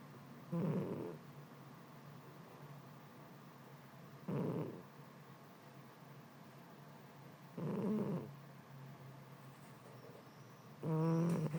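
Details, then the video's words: Sleeping domestic cat, drowsy from the heat, snores deeply with low grating breaths recurring roughly every three to four seconds, four snores in all, the last one louder and more tonal, against a faint steady hum. "Кошка Матильда спит и храпит."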